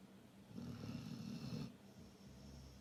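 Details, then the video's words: Snoring Labrador Retriever: one rough, rumbling low snore lasting about a second, followed by softer, quieter breathing noise. "Храпящий лабрадор"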